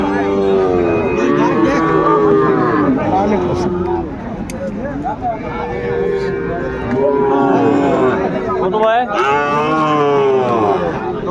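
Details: Several overlapping moos from Sahiwal bull calves at a busy Comilla cattle market on 10 February 2025. The drawn-out bellows rise and fall among constant human chatter, with a short gap partway through.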